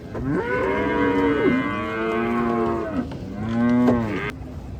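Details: Gaiya cows during unloading at a cattle farm, giving two or three sustained, loud moos that rise and fall in pitch and end abruptly, with a faint bump between calls.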